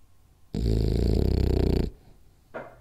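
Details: Sleeping French Bulldog Rolly snoring hard on a nap indoors: a single long, vibrating, gravelly snore of over a second, followed by a softer short breath.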